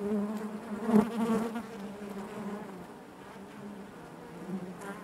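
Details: Honey bees buzzing naturally inside their hive: a dense, steady drone low in pitch with layered overtones, swelling louder around the first second and then settling into an even hum.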